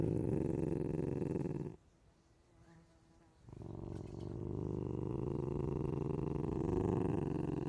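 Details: Deep rhythmic rumbling from an ocelot, pulsing about four times a second, with a near-silent break of almost two seconds before a long, steady rumble returns.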